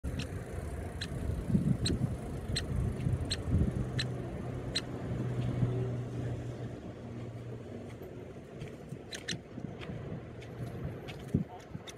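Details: Steady low road-traffic rumble with a run of sharp, regular clicks, and no clear animal voice.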